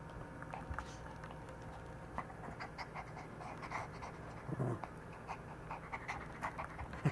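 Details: Maltese dog, said to always get angry when a hand is shaped a certain way, making low rumbling growls and short huffing bursts indoors, with light laughter at the end.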